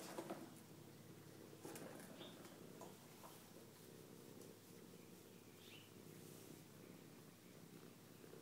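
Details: Bella, a pet cat, playing with her star chaser toy: a steady low rumbling purr runs throughout, pulsing softly, with a few brief sharp clicks near the start.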